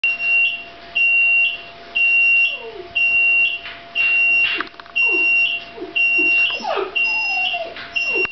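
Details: Sushi, a two-year-old female Shiba Inu, cries on hearing the oven alarm: short falling whines slide down through the middle range between steady high electronic beeps that repeat about once a second.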